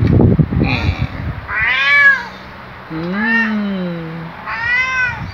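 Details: Loud, jolly waking greeting from Luna, a black male pet cat lying beside a companion: a run of four meows, two high and arching and one long and lower with a falling tail, after brief Tagalog speech.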